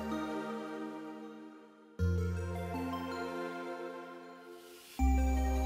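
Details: Only electronic ambient music is heard, with sustained synth chords, deep bass swells and sudden shifts in the chords, and no animal sound.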